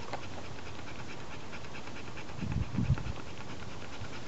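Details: A female Labrador Retriever pants softly in a short burst of low, breathy puffs against a quiet background.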